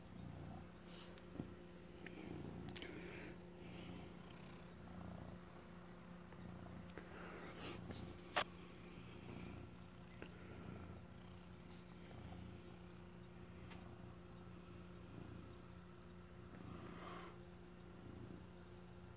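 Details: Male house cat, once an injured stray taken in last Halloween, keeps up a long, steady low purr while guarding cheese he stole; scattered clicks and soft rustles over a constant indoor hum.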